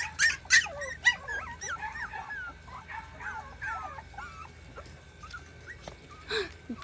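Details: Forty-day-old countryside puppies whine while struggling to get up a flight of stairs. A person coaxes them with the promise of a treat. Wavering, squeaky whimpers bend up and down, with a few sharper yips at the start.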